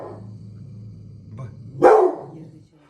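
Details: Presa Canario dog at a family home, alerting to someone arriving before they enter the garden: a single loud, deep, harsh bark bursting out of a quiet background with a low steady hum.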